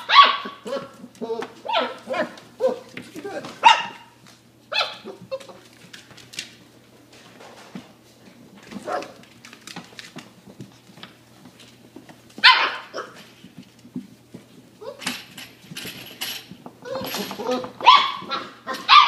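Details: Irish Water Spaniel puppies at play, running back and forth over a small homemade A-frame; bursts of short, high yips and barks come in quick clusters, with quieter pauses between the outbursts.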